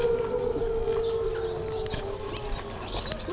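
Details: Wolves at a wildlife rescue and rehabilitation centre give a long, steady howl that slowly sinks in pitch.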